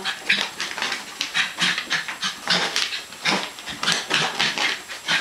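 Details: Zoey, a West Highland White Terrier, playing with her owner indoors: quick, breathy, huffing bursts repeated several times a second, rough and noisy, with soft grunting undertones and no clear speech.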